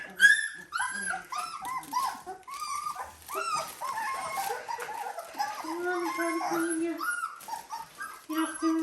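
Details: Dalmatian puppies at 17 days old, indoors after making a mess, whimpering and squeaking constantly. Many overlapping high, wavering whines, some with sliding pitch, with a woman talking and background music.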